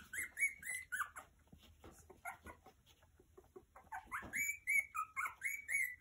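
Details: Havanese puppies three weeks old give high, thin squeaky whines and yelps, short rising-falling notes repeated in quick bursts, with a pause midway before the whining resumes.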